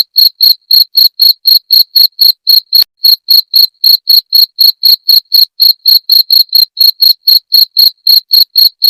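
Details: Cricket calling, offered as a sound to chase away rats: rapid, shrill chirps pulsing about four times per second, steady and loud with one brief click partway.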